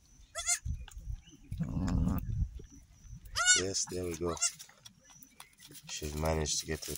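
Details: Newborn goat kids, three female triplets just born on an off-grid homestead in Uganda, finding their mother's teats to suckle; high quavering bleats with stacked harmonics, mixed with a man's speech, background music and low rustling.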